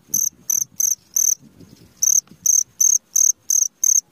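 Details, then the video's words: Cricket chirping at midnight: short, high, pure chirps repeated roughly three times a second, pausing near the middle while faint low rustling and murmuring sounds fill the gap, then the steady chirping resumes. "SUARA JANGKRIK TENGAH MALAM"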